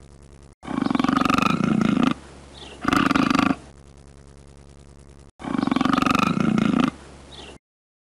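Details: Deep, rattling cougar growls: a drawn-out pulsed roar, a short second burst, then after a pause another long throaty roar, all rough and vibrating.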